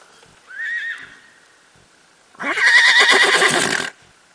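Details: Bay barefoot Tennessee Walking Horse mare, ridden: a short, thin rising squeal, then after a pause a loud, rough whinny lasting about one and a half seconds, quavering and pulsing throughout before stopping abruptly; quiet background.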